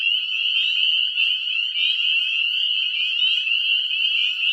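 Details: Spring breeding chorus of tiny Northern spring peeper frogs in a young woodland and food forest; countless high, rising peeps overlap into a steady, piercing wall of sound with no gaps.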